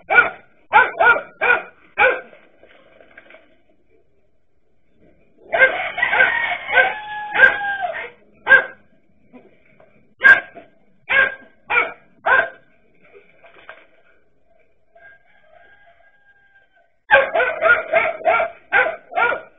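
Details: Barking dachshunds in a standoff with a king cobra, irregular clusters of sharp barks with a thick overlapping chorus in the middle and a fast burst at the end, quiet gaps between.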